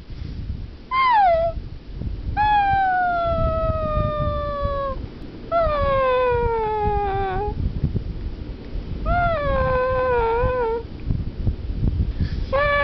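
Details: Romeo, a pet French Bulldog, gives four long, drawn-out tonal howls, each sliding gently downward in pitch and lasting one to three seconds, with short pauses between them and low background rumble.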